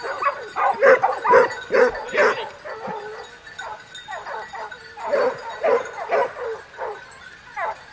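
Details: Several hunting dogs bark excitedly, a loud burst of rapid yelping barks at the start that eases into softer, steadier barking toward the end.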